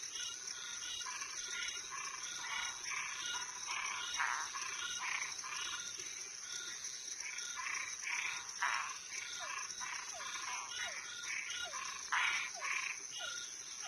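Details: Night chorus of toads and treefrogs, many animals croaking in rapid, irregular bursts, mixed with short downward-sliding chirps in the second half and a constant shrill insect drone behind.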